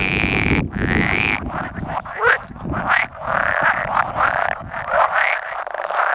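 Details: Pool frogs, about 100 males gathered at egg-laying on 16 May 2017, with two edible frogs present that call now and then; dense overlapping croaks and rattling calls, with low rumbling noise beneath during the first half.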